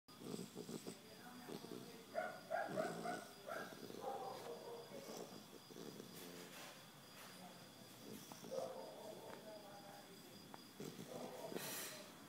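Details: A three-month-old Basset Hound puppy snores in its sleep in a quiet room, each breath a soft, rasping rumble with a faint nasal whistle, coming unevenly every two to three seconds.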